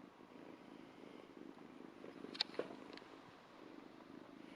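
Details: Two-month-old Ragdoll kitten licking a hand and purring: a continuous low throbbing rumble runs throughout, broken briefly by a couple of sharp clicks midway.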